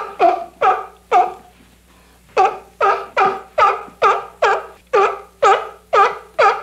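A sea lion gives a run of loud, hoarse barks, about two each second, after a brief pause.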